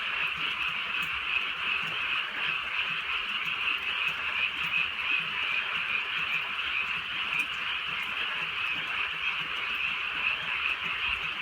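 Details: Frogs calling on a drizzly countryside night: a dense, steady chorus of overlapping mid-high croaks forms a continuous trilling band, with soft patter of light rain throughout.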